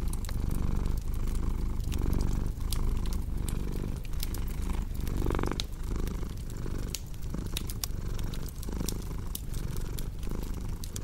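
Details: Low, grainy purring from a cat beside a crackling fire, pulsing with inhale and exhale phases at an uneven pace, softened at one point, with frequent sharp wood-fire snaps layered above the rumble.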